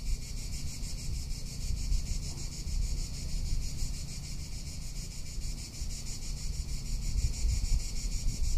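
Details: Cicada singing in a Tuscan summer, its high rapid pulsing buzz continuous behind loud gusting wind rumble on the microphone.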